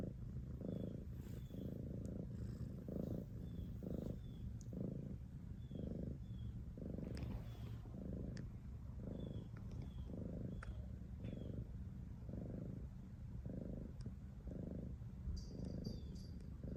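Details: Long steady cat purr, a low buzzing rumble in regular swells nearly every second, accompanied by faint high bird chirps and a few soft clicks.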